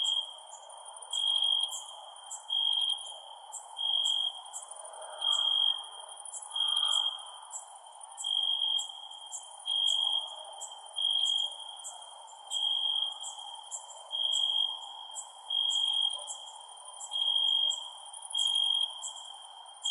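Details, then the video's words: Crickets at night: bursts of pulsing, mid-high trilled chirps recurring roughly every second and a half, layered over a higher, rapid ticking chorus and a steady low hum. "Cricket Sounds @ Night"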